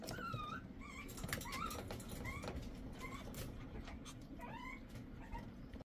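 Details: Shih Tzu uttering short, high, rising whines a few times in quick succession against a continuous low background hum.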